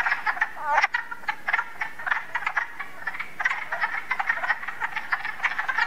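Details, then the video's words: Frogs and toads call at night in a dense chorus of rapid, clicking croaks that overlap continuously, possibly several species. "Frogs & Toads wide variety of sounds"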